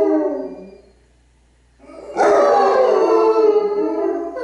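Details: Howls from Basset Hounds Radar and Otter and Bloodhound Jefro harmonizing: a fading wavering note trails into near silence, then a loud burst of several overlapping voices returns and holds, sliding slightly downward, with a faint low hum.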